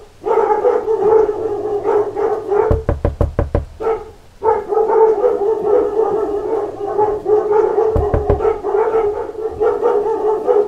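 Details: A pack of dogs barking at knocks at the door, with dense, continuous overlapping barking interrupted twice by quick bursts of sharp knocking, the barking surging again straight afterward.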